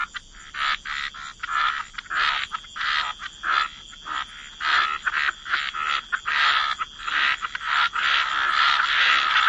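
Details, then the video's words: Chorus of frogs by the water in wetlands, giving rasping croaks about one and a half times per second in an uneven rhythm, the calls growing denser and more continuous toward the end. "Relax to the Sound of Croaking Frogs"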